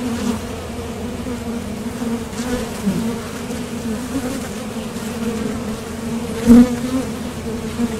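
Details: Foraging honeybees landing at and leaving a top bar hive entrance produce an even droning buzz, broken by a sharp close pass and brief knock around six and a half seconds.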